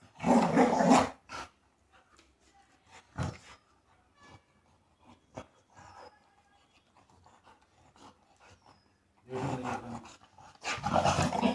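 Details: A female Rottweiler puppy grumbles and moans in drawn-out, voice-like bursts, seeming to argue, asking to go outside.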